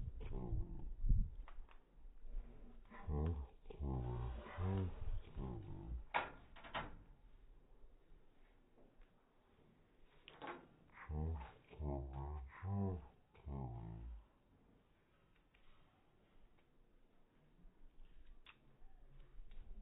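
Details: Indoors, a Cane Corso hunting for the cat makes two clusters of deep, throaty groans and whines, separated by quieter stretches with soft knocks and rustling.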